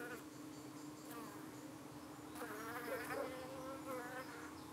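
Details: Honey bees at a UK hive in the evening, defending themselves as darting flies try to settle on their abdomens; a steady low hum runs throughout, with wavering, rising and falling buzzes of flying insects passing close in the middle.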